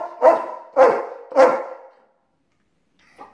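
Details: Rocko, a pet German Shepherd protesting his owner leaving for work, gives three loud, resonant barks about half a second apart, then falls silent except for a faint short yelp at the end.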